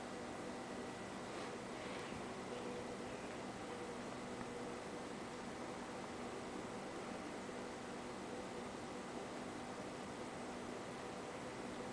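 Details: Quiet indoor hiss with a faint fan-like hum and occasional soft rustling, with no animal sound audible.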